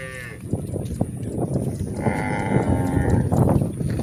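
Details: Cows moving on a hill, with heavy, thudding footsteps and shuffling filling the recording while a short moo opens it and a longer, higher, strained moo rises out of the clatter midway.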